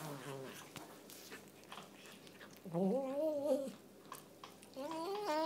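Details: Chocolate point Burmese cat, cross-eyed, indoors while eating: a brief low murmur, then a wavering moan in the middle and a rising cry at the end, amid clicking and rustling food noises.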